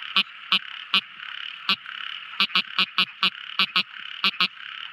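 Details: Tiny frog calling at night: short, sharp, clicking croaks repeated quickly, about fifteen in five seconds, often in close pairs. A steady, high, buzzing chorus of other frogs or insects hums underneath.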